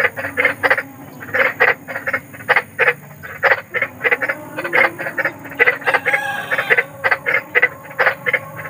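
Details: Large frog croaking outdoors in nature: a dense run of around thirty clipped, grating croaks in under nine seconds, beats tumbling in irregular clusters with brief gaps, steady quiet background hiss.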